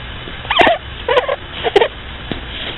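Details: Asleep, a bunny gives three short, squeaky snoring notes about half a second apart, each a nasal whistle with a slight rise, against soft room hiss.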